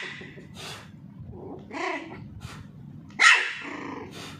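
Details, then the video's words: Pomeranian puppy named Charlie, being teased while playing with a ball indoors: one sharp, high bark bursts out near the end after quieter scuffling and soft yelps. "Pomeranian puppy barking"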